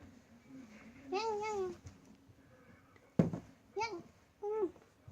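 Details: Cats fighting: a drawn-out, wavering yowl, then a sharp knock and two shorter yowls that rise and fall, over a low steady hum.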